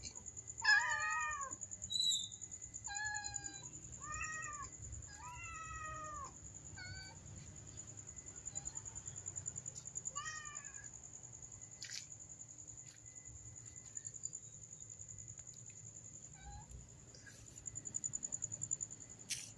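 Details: A black mother cat and her kitten beg for food with a quick series of short, rising-falling meows over the first ten seconds, then only faint scattered sounds and soft clicks follow.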